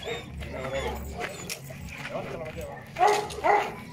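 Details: An 8-month-old Presa Canario gives two deep, short barks half a second apart after human talking.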